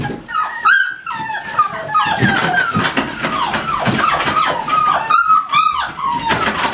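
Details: Whining American Staffordshire Terrier at a kennel: drawn-out high tonal cries and short falling yips, overlapping at times, with light background rumble and handling noise.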